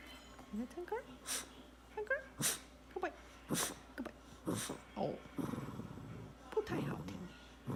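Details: A Shih Tzu dog making cute noises as it is coaxed in Chinese to sing: short, rising, whiny yelps in quick bursts, repeated several times, mixed with sharp clicks and a person's voice.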